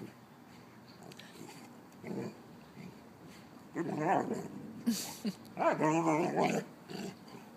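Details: Two mastiffs, an old female and her six-month-old Brice, home pets Lola and Gertie, trade rough growling whines that rise and fall in wavering harmonic bursts, louder in the last seconds, over faint indoor hum.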